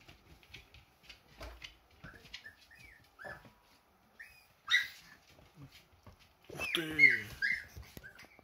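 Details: Siberian Husky puppies, already walking, chase their mother, hungry for milk; thin, high whimpers and squeaks come in short irregular bursts, with a human voice and rustling indoors.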